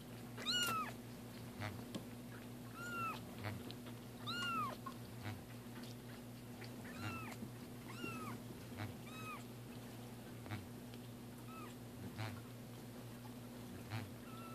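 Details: Two cats having their first bath; repeated plaintive meows, each a short arched cry sliding downward, come roughly every one to two seconds, with water sounds and a persistent low hum beneath.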